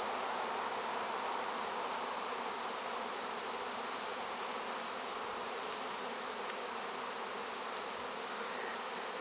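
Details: Honey bees of a swarm taken in a trap on 1 September 2019, surprisingly late in the season; constant broad buzzing drone, level and unbroken, with a faint steady high tone above it.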